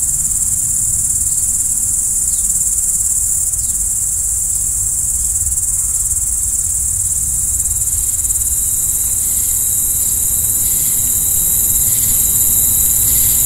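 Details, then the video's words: Night chorus of crickets, a steady shrill continuous trill throughout, joined in the second half by a thin sustained tone slightly lower in pitch, over a faint low background rumble. "Stars at Night BLACK B/G - Video & Audio Crickets"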